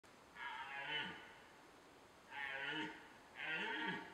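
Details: Red deer roaring in the rut: three harsh, buzzy calls, each about half a second long, with rough upper tones and a low note falling away at the end, spaced one to two seconds apart over faint steady hiss.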